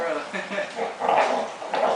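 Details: Playful dog growling while pulling in a game of tug of war, a rough, throaty rumble broken into short bursts with brief pauses, mixed with people talking nearby.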